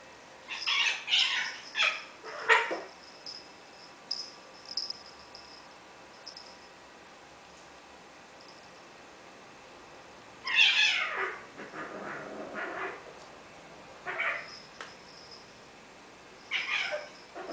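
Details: Squeaky, a female house cat who often gets mad at her own tail, fusses and hisses at it. Clusters of harsh airy hisses come near the start, again around ten seconds in, and in brief bursts near the end, with quiet gaps between.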